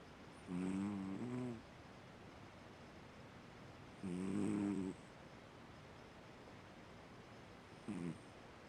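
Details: Sleeping Siamese cat named Fu-chan snoring: low rasping snores with a stacked, wavering buzz, each lasting about one second, spaced roughly every three and a half seconds, with a short final snort near the end and quiet in between.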